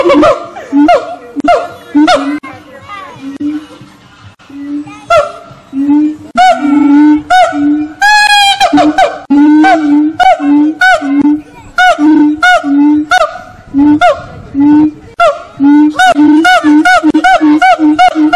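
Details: Monkeys at Fota Wildlife Park in Cork, Ireland, sing loud, hooting calls that rise into a fast, shrill crescendo, then settle back into repeated hoots.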